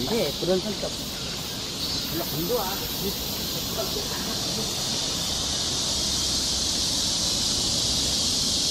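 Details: Summer forest trail in Seoul, Korea, where cicadas keep up a continuous shrill, buzzing wash of sound; low human voices are heard briefly at the start before the steady insect chorus dominates.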